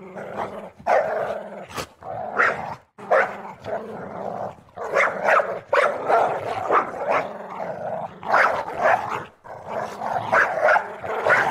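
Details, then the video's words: Dog playing around, producing steady rasping growls punctuated by sharper bark-like bursts. The sounds come almost nonstop, with a few brief breaks. "CUTE DOG PLAYING"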